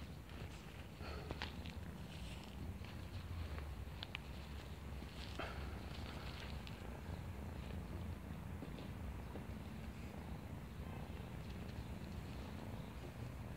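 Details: Purring of a young female stray kitten found in a neighborhood while playing with a person: a steady low rumble runs throughout, with light handling rustles and scattered soft clicks above it.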